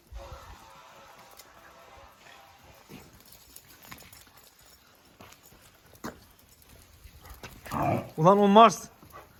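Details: A Jack Russell Terrier named Oscar gives a short, wavering, tonal whine or howl near the end, after several seconds of quiet background talk and small knocks.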